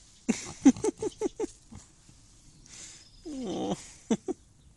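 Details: Pig grunting, one of two named Hubert and Frederik, in their pen after running from the shed, drowsy and being petted: a quick run of short low grunts, then a longer wavering squeal and two final grunts.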